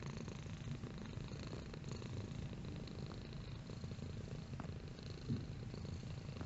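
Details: Purring domestic cat, a quiet, even, low rumble that keeps a steady pulsing rhythm throughout with no other sounds.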